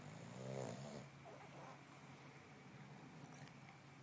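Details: An eight-month-old male English bulldog puppy resting and sleeping on his bed snores once, a rough, low, rasping breath in the first second that fades into a quiet room hiss.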